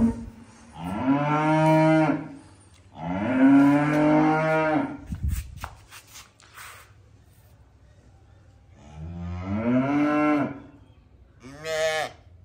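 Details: Calves mooing: three long, harmonic-rich calls, each about two seconds, with a low rising onset and steady tone, separated by quiet pauses, plus a short final call.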